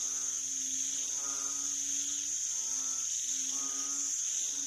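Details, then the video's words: Banded bullfrogs recorded 18 September 2023, their low, buzzy moaning notes merging into a loose overlapping chorus, partly masked by a loud continuous high-pitched insect drone. "อึ่งอ่าง อึ่ออ่าง เสียงร้อง"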